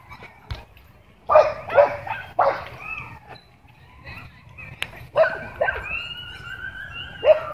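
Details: Tense dogs at a dog park, some kept on leash inside, bark and snarl in short harsh bursts, a few drawn-out strained yelps in between, with quiet gaps and a sharp click.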